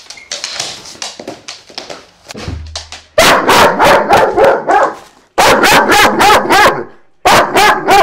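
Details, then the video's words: Loud, rapid barking from Vito the dog, a quick string of evenly spaced sharp barks in two bouts separated by a short gap, with some softer clatter and voices in the opening seconds. "Vito Barking"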